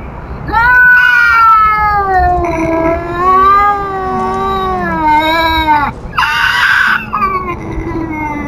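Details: Tubs the feral cat scolds an intruding cat with a continuous caterwaul, undulating up and down over several seconds, with a harsher hissing-edged burst near the end and a low moan trailing below.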